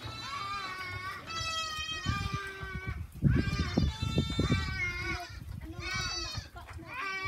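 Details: Farm goats bleating in overlapping, wavering cries throughout, with low thumping sounds and background voices in the middle stretch.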